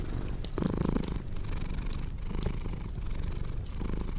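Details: Brief stretch of a cat's low rumbling purr under loud, irregular fireplace crackling and snapping, with a short crunching burst near the start.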